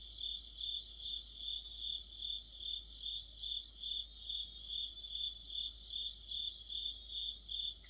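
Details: Dense autumn chorus of crickets and other insects, high steady trilling with pulsing chirps repeating about every 0.4 seconds, overlapping voices, faint background hum.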